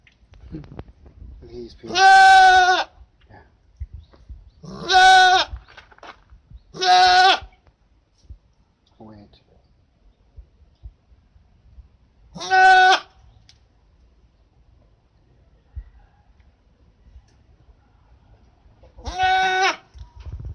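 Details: School goat recorded in 2017 bleating five times in twenty seconds, loud wavering harmonic cries, a quick pair near the start then spaced ones, with a person talking softly in the background.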